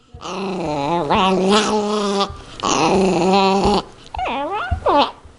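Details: Yorkshire Terrier growling while fighting over a zucchini, a house pet. Long, harmonic, wavering growls run for about two seconds each, then give way to short rising yips and whines.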